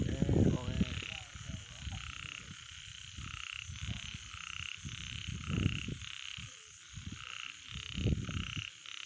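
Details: Frogs at night giving short pulsed croaks about every half second to second, layered in a chorus, with people talking nearby in low tones.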